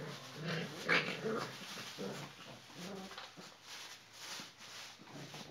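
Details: Playful low growls and grumbles from 34-day-old Rottweiler puppies of Cromo vom Sittard and Asha vom Goldenhorn, with a brief high squeak early on, over steady rustling and tussling.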